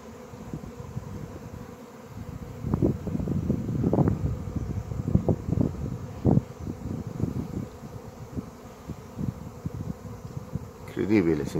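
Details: Honey bee swarm of thousands filling a piazza in central Pisa, Italy, shortly after nine in the morning; a dense low buzzing drone swelling and fading as bees pass close, with faint background hiss.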